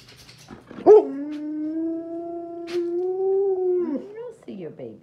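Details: A female Alaskan Malamute, a mother kept 24 hours from her four six-and-a-half-week-old puppies for weaning, gives a sustained, steady, mid-pitched howl of about three seconds that wavers and slides down at the end on seeing them on a computer video; brief human speech around.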